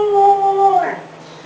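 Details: A 6-year-old female Siberian Husky gives a brief, steady howl that wavers and fades; her owner calls it an unusually weird, bad-sounding siren-like howl.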